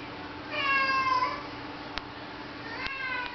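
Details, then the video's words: Indoor domestic cat asking to go out in rainy weather, giving a drawn-out harmonic meow that slides downward, then a second shorter meow near the end, with two sharp clicks between. "Cat wont stop meowing!"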